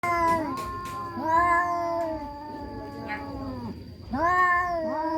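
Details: Orange cat and black cat in a fight, village cats: long drawn-out yowls with wavering pitch, repeated in overlapping rising and falling wails, a steady high electrical whine in the background.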